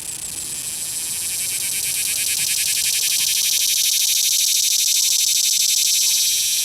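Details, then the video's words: A cicada held after capture at Longwood Gardens, Pennsylvania, sings a continuous fuzzy, high-pitched rattle of quick regular pulses that swells in loudness over several seconds, with no other clear sounds. "The Cicada"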